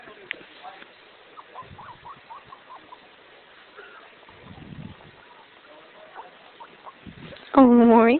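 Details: A male guinea pig gives soft little squeaks, then a sudden loud, rich squeal, sounds he makes when happy.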